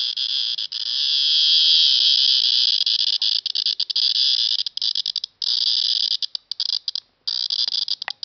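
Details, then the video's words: Cicada calling at KU Dharwad: an intense high-pitched buzz, steady at first, then broken into rapid stuttering pulses with short gaps toward the end. "Cicada insect @ KU Dharwad"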